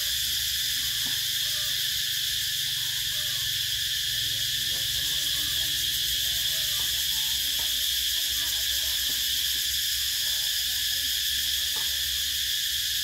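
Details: Summer cicadas filling the air with a shrill, unbroken electric buzz, constant in pitch and volume throughout, over a soft low background hum.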